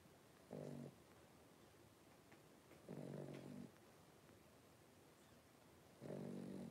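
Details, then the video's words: Three-week-old blenheim Cavalier King Charles Spaniel puppies, a litter of five, wrestling and playing in an indoor puppy pen; low, droning harmonic grunts come in three half-second bursts about every two and a half seconds over quiet room hiss. "3-Week-Old Cavalier Puppies Wrestle and Play Live"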